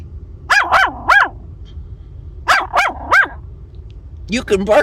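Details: Heather, a seven-week-old female Maltese puppy, lets out two quick runs of two or three shrill, rising-then-falling barks. Gentle human talk follows at the end.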